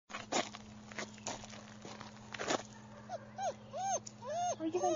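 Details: A German Shepherd puppy gives a run of short, high whining squeaks that arch up and down in pitch during the second half, after a person's speech and soft bumping noises.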